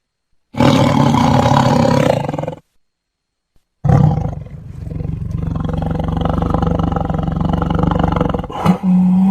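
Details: A tiger gives deep, rasping roars, a two-second burst followed by a long, rumbling roar.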